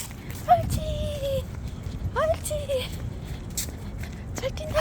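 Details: Young puppy during walk training gives three drawn-out tonal whines, each starting with a quick rise then holding level and sagging slightly, spaced about one and a half to two seconds apart, amid footsteps and background noise.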